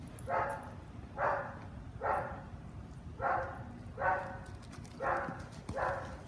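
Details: Ollie, a young Australian Shepherd in a board-and-train obedience program during week one, gives seven harsh barks spaced about one second apart over steady low background hum.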